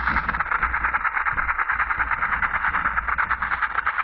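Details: Western diamondback rattlesnake rattling: a steady, dry, rapid buzz of closely packed pulses held without a break for the whole stretch, with a faint low rumble underneath.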